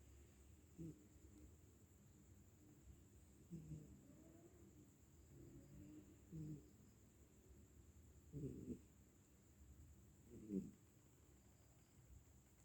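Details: Sleeping cat, apparently exhausted, snoring: soft, low, breathy snores every two to three seconds, five in all, over a quiet indoor background with a faint steady high-pitched hum.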